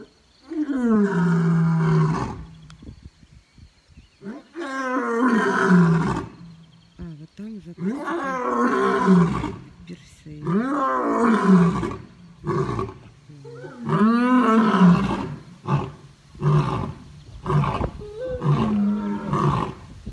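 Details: Two lions roaring at dusk in the Taigan safari park, Crimea, on May 26, 2019. A long series of deep, moaning roars and grunts rises and falls, with a man speaking quietly between and over them.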